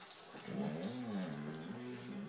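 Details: Gus, a Basset Hound, growls at night on his owner's bed, refusing to get down and go to his own bed. The growl is a steady, low, drawn-out rumble lasting about two seconds, with a television faintly audible in the room.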